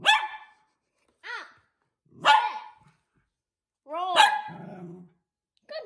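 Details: Miniature Poodle playing games with its owners; five sharp barks spaced roughly a second apart, some with rising-falling whiny tones and a low growly tail after the fourth.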